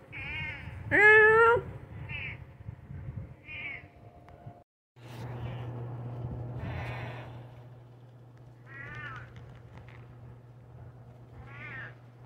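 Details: Dodger, a pet cat, meows back and forth with a person copying its voice: a loud, rising, strongly harmonic meow near the start, then several shorter meows spread across twelve seconds over a steady low hum.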